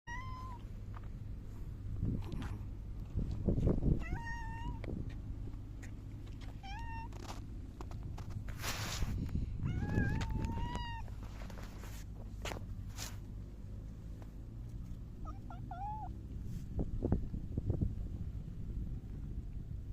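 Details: Silver tabby cat recorded on 11 July 2024 while rubbing against someone, giving several short, soft meows spaced a few seconds apart, some rising then falling, over a steady low hum and rustling.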